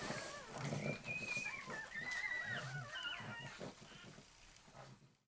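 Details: Female pug demanding that a male pug let her into the feed bowl. She gives a run of high, wavering, squeaky whines that slide up and down, fading at the end against a soft low background rumble.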